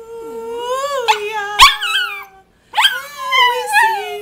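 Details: Romeo the Rat Terrier sings in warbling howls, a held wavering note rising then falling, a short gap of silence, then another bending, quavering howl phrase.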